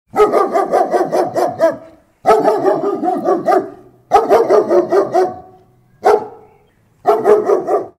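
A German Shepherd barks in rapid bursts of deep, harsh woofs, several barks per second.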